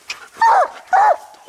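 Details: Coon dog at a tree holding a raccoon (ring tail) during a hunt, with old dogs Lucky and Mossie and the year-old Star; two separate mid-pitched barking chops about half a second apart, with a man's coaxing voice nearby.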